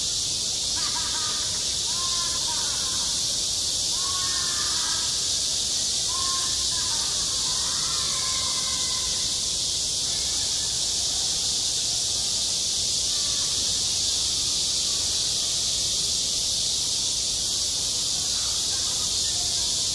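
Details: Cicadas singing at a school playground in midsummer: a dense, steady, high-pitched hiss of a chorus runs unbroken throughout, with faint voices or calls rising and falling beneath it.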